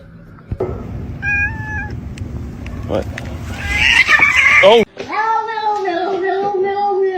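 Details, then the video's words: Domestic cat shown acting scared indoors among people, with human speech early on and then long drawn-out, wavering meows sustained for about two seconds near the end. "Cute Cat acts scared"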